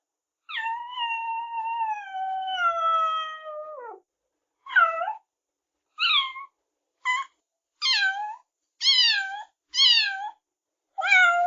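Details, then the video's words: Baby cat opens with one long, sustained, slightly falling meow lasting over three seconds, then follows with eight brief, sharp mews in quick succession; nothing else audible. "baby cat - sound effect"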